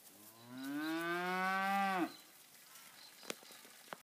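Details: Poll Hereford heifer giving one long moo that slowly climbs and thickens, then drops off abruptly. A couple of sharp knocks follow in the quiet afterward.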